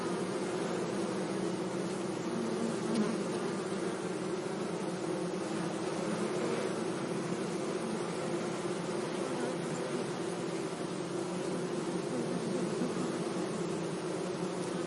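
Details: Bees humming among meadow flowers on a sunny day, a thick, unbroken drone of overlapping wingbeats holding steady in pitch throughout, with a faint broad hiss behind it.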